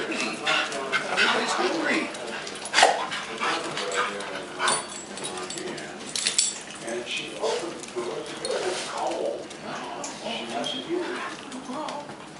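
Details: Several pet dogs, Harry loudest with Maggie, Izzy and a visiting Pekingese named Princess, fuss indoors for treats from a man; short whimpers and yelping barks come in bursts amid steady human talk.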